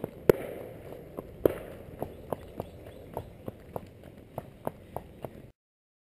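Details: Percheron horse named Klein walking calmly and ignoring gunfire on the next street: a steady series of hoof clops roughly every third of a second, with two sharper, louder bangs near the start, then silence.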